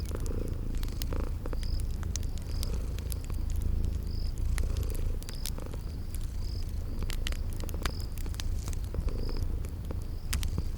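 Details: Purring from sleeping kitties near a crackling fire in a cozy spring garden setting: a low, even, droning rumble with soft rhythmic swells, scattered wood crackles and a high chirp recurring about every second.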